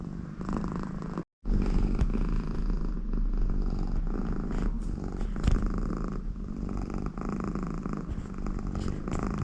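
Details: Extremely contented American Shorthair cat named Connie purring beside her owner, a dense low rumbling purr with a snore-like nasal rasp, breath cycles rising and falling, a brief dropout early on.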